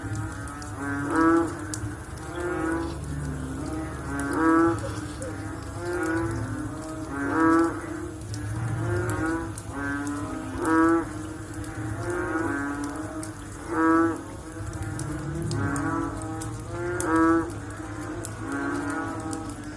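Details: After rain, frogs keep up a steady chorus of low, harmonic, lowing croaks with a throbbing waver. Louder individual calls recur every three seconds or so, with a faint low hum underneath.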